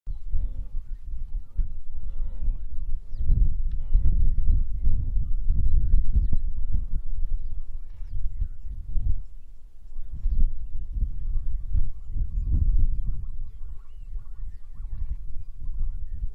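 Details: Wildebeest herd on the shortgrass plains of Ndutu in the southern Serengeti, Tanzania, in February 2024. Deep, nasal grunts overlap continuously in low rumbling waves, surging around four and twelve seconds, with no other clear sounds.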